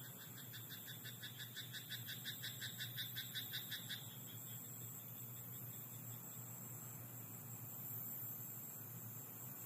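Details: Frogs croaking in a rice paddy at night: a rapid, regular train of pulsed croaks for about four seconds, then fading, over a steady high insect-like drone and low background hum.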